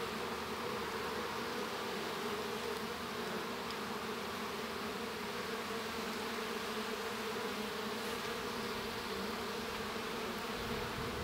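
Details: Inside a honey bee hive while a baby bee emerges, many bees produce a constant, level buzzing hum with steady low tones and a faint airy wash over it, with a few soft clicks.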